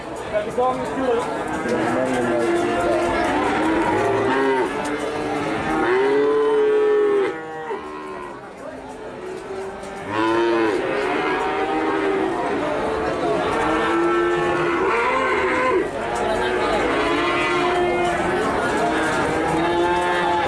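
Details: Cattle mooing repeatedly: several long, low, harmonic lows overlap and follow one another throughout, some rising then falling, with a steady background murmur of people and a brief quieter gap midway.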